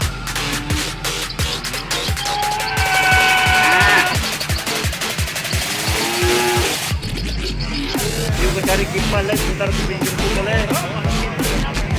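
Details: Loud electronic drum-and-bass music with pounding beats and some speech, with no animal sounds.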